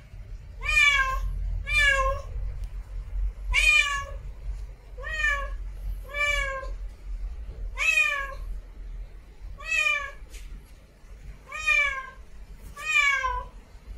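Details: Female domestic cat in heat calling for a mate: a run of nine harmonic meows, each under a second, spaced about one to two seconds apart over a low steady background hum.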